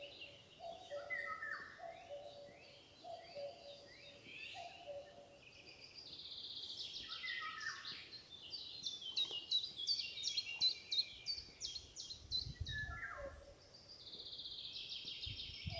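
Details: A deer fawn calls for its mother with short, level, mid-pitched bleats about once a second. The bleats pause, then return near the end, beneath dense, high chirping birdsong outdoors.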